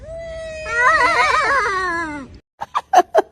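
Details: Domestic cat making weird, quack-like sounds: a long wavering, warbling yowl that slides downward over about two seconds, then four short, clipped bursts in quick succession.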